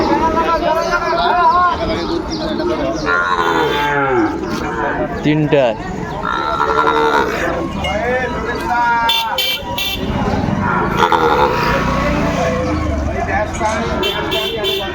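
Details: Sahiwal bull calves for sale at Ambari market, Dinajpur, Bangladesh, 20 May 2024, lowing repeatedly: short and long wavering moos overlap through the recording, with traders talking and general market bustle behind.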